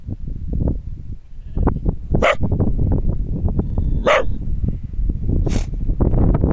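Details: A Border Collie in the mountains, with sheep in the background, gives sharp, separate barks every second or two over heavy, low rumbling wind.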